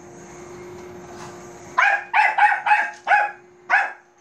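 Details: Bichon Frise named Manbok barking at a robot vacuum: six sharp, high barks in quick succession after a quiet start with a steady machine hum underneath.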